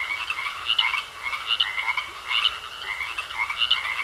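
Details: Frogs croaking in a pond, a dense chorus of rapid pulsed croaks in overlapping bursts about every second, with a steady high trill running beneath.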